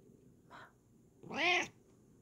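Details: Bengal cat posing for a camera indoors: a soft short murmur, then one loud, clear, arched meow lasting about half a second.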